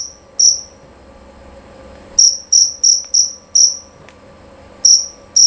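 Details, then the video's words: Scattered high, piercing chirps of a male jerabang cricket: a single chirp, a pause, then a quick cluster of four, another gap, and two more, all against near silence with a faint hum. "Bunyi Suara Jangkrik Jerabang Nyaring dan Jernih"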